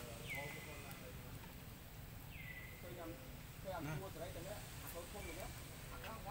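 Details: Baby monkey Lucie crying loudly and angrily after her mother refused her milk: high, thin squeals that slide downward, three of them about two seconds apart, with softer chattering sounds between over steady low background noise.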